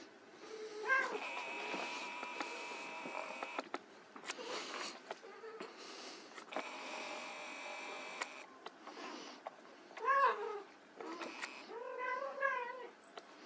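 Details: White Persian kittens at play indoors, giving a few short wavering meows scattered among clattering and rustling, with a steady high electrical whine running beneath.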